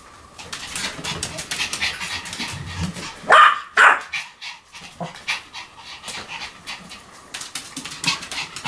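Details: Pomeranian panting rapidly and steadily throughout, broken by two sharp, high barks close together near the middle.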